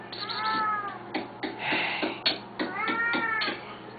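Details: Two hungry Siamese cats at feeding time give long, drawn-out meows that rise and fall, with a person talking nearby.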